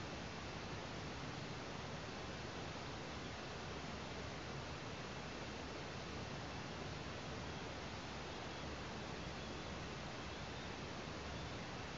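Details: Only a steady broadband hiss like wind or rushing water is heard, with no animal calls.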